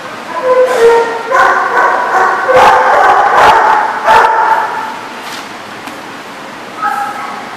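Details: Dogs barking loudly and continuously, with overlapping yips and whining tones, several callers together, then a brief quieter gap before one last bark.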